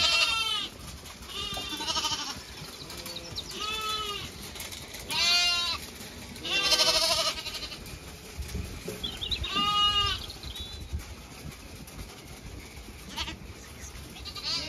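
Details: Zwartbles ewes and lambs on a County Kilkenny farm in Ireland, the flock moving to fresh grazing in the cool late afternoon; a run of loud shaky bleats, some bright and high, spaced a second or two apart.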